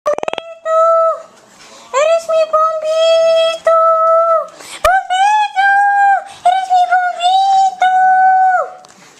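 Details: Pet dog singing: a run of sustained, even-pitched howled tones about a second long, some with rising starts and falling ends, broken by short gaps and one sharp click midway.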